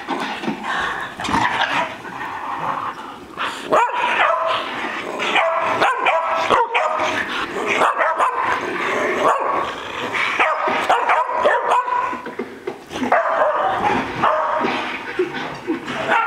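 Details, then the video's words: Three pet dogs, Bocephus, Kelsie and Vinny, playing and acting wild together; dense overlapping barks, yips and growly vocalizations tumble over one another almost without pause, several voices mixing at once. "Dogs Playing"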